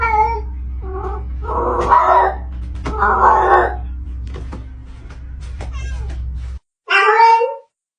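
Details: Cat meowing repeatedly, several drawn-out harmonic meows and caterwauls, with a steady low hum and faint clicks in the background, then a brief gap and a final loud meow.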